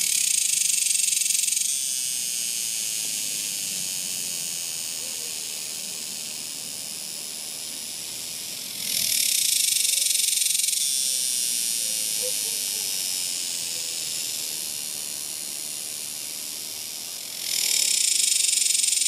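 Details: Cicadas in summer producing a high, shimmering hiss that rises in loud waves roughly every eight to nine seconds, each surge fading back into a constant background drone.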